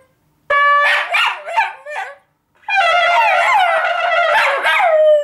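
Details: Schnoodle dog talking at home during a regular household conversation: long drawn, wavering howl-like whines with rich harmonics, one short burst then a longer sustained, rising and falling moan.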